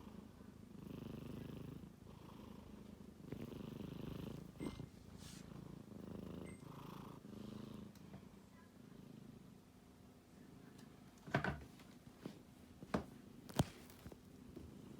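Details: Sleeping kitten snoring and purring indoors, a soft steady rumbling drone with gentle rhythmic breaths, interrupted near the end by a few sharp clicks and knocks.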